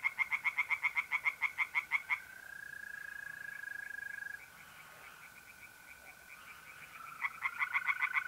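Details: Tree frogs calling from a pond on an April night in north-east Italy: rapid, evenly pulsed croaking notes in loud bursts at start and end, with a steady high trill of mole crickets filling the middle.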